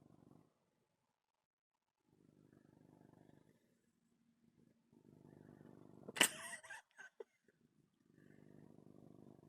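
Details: Domestic cat purring while kneading and fixing his bed, soft low rumbling purr in several bursts with short gaps, interrupted midway by a sharp clatter and brief noise.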